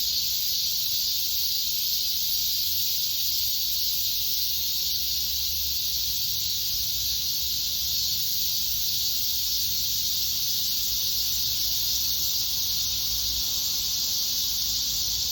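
A chorus of cicadas makes a dense, shimmering drone, high and hissing like steam. The buzz holds almost unchanged from start to end, with only a faint low rumble beneath it.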